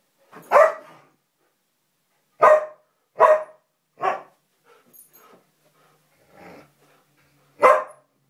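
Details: Samoyed and Siberian Husky in a friendly play fight; sharp single barks come in irregular bursts, a pair near three seconds, with softer growly grumbles between, in otherwise quiet surroundings.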